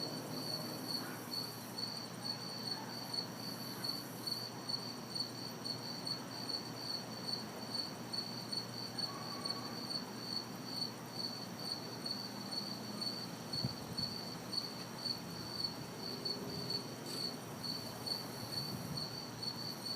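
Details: An orchestra of crickets and cicadas on a humid summer night in a city backyard: continuous high ringing trill with rhythmic pulses, some extra bursts of buzzing, and soft distant traffic murmur underneath.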